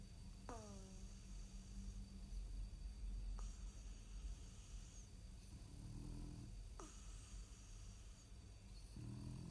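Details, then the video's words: A French bulldog sleeping at nap time makes short, low, rumbling snores near the end. Earlier there are a few brief falling squeaky tones and a low steady hum indoors. "French Bulldog snoring nap time Funny sleeping"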